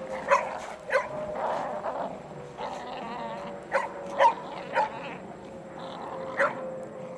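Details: Playful beagle tugging at a shirt, letting out a run of yipping barks mixed with brief whiny, grumbling sounds, the sharp yelps spaced irregularly across the stretch.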